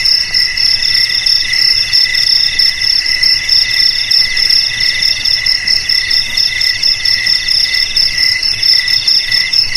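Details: Overlapping cricket chirps ring out high and shrill in regular pulsing bursts, several insects calling together without pause, used as an old ancestral method to keep rats away.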